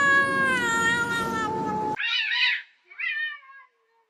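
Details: Domestic cat from a funny cat compilation labelled as a cat fight: a long, loud, drawn-out meow with a slightly falling tone for about two seconds, then two shorter harsh, noisy cries, ending in near silence.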